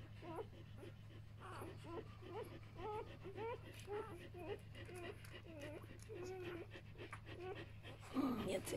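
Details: Newborn Samoyed puppies, one day old, making a run of soft, short squeaks and grunting chirps, repeated about twice a second for several seconds, with a low steady hum and a louder rustle at the end.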